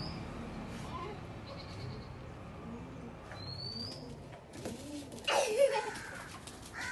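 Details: A white goat gives a short, wavering bleat near the end, over a low background hiss.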